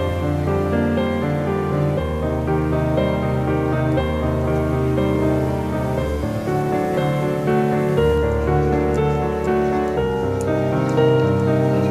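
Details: Soft piano music plays throughout, with no animal voice.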